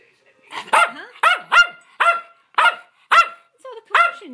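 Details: Playing schnauzers, one barking steadily about twice a second, each bark a sharp, ringing yap, with a person's voice briefly audible.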